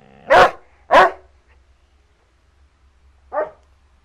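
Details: Male Basset Hound about 15 months old, in foster care, barking: two loud, full barks half a second apart, then a short pause and a third, slightly softer bark, in a quiet room.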